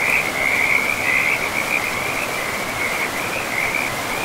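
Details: Frogs calling beside a river in a pristine, moss-covered forest: a steady run of rapid, high pulsed trills at one narrow pitch, nearly continuous across the clip, over the constant broad rush of flowing water.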